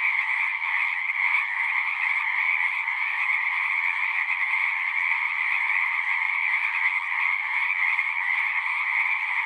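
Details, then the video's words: A chorus of frogs at a pond in a horse pasture, recorded on a Zoom device: steady, shrill, massed trilling from many callers, evenly loud and uninterrupted for the whole stretch. "Frogs singing"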